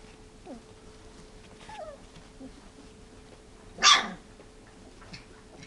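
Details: Three-week-old F1 Standard Goldendoodle puppies from Rosie's litter, playing, sleeping and barking; one sharp, loud puppy bark near four seconds follows a few faint, high whimpering squeaks against a quiet background.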